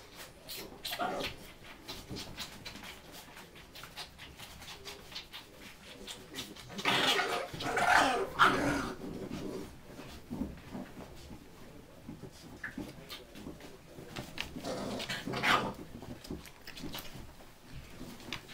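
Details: Ten-week-old Bull Terrier puppies whimper and yelp in short, uneven bursts, with scuffling noises between them.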